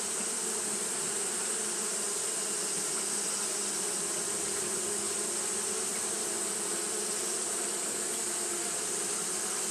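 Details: Japanese honey bees fanning continuously on a hot day: a dense, steady buzzing hum with strong low bands and an even, unbroken high hiss above, holding level throughout with no pauses.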